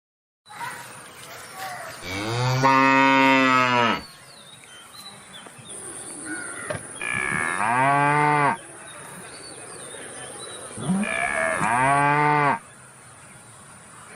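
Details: Cow mooing three times, each a long, loud, harmonic-rich moo lasting about two seconds with a slight pitch rise and fall, separated by quieter pauses with low background rustle and a steady faint high-pitched hum.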